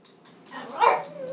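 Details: Chihuahua that hates the broom gives a single short, high, strained bark-whine lasting under a second; people talk just before and after.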